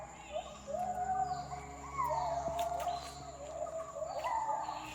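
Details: Wild white-handed gibbons sing in the jungle of Khao Yai National Park, Thailand, as light barely pierces the canopy: long, sweeping whoops that rise and fall, repeating every second or two, with a man's voice narrating over them.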